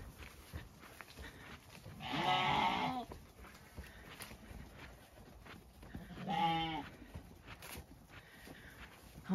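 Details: Separated Zwartbles ram lambs on a farm in County Kilkenny, Ireland, fed before being let into the orchard; two loud, wavering bleats a few seconds apart, the first harsh and broad, the second tonal, with a woman speaking nearby.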